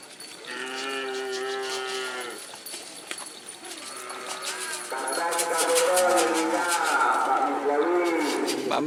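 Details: Cattle at a Kerapan Sapi bull race at the Sokaramme field on Sapudi Island, Madura, East Java, Indonesia, first round. A steady, flat-toned moo lasting about two seconds, followed by crowd voices, shouting and clapping.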